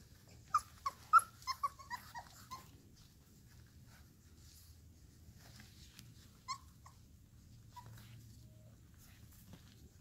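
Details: Nine AKC-registered Airedale Terrier puppies, six males and three females aged four and a half weeks, born to Annie in San Diego, California, playing indoors: a quick burst of high yelps and whimpers over three seconds, then a lone squeal, then a quiet room.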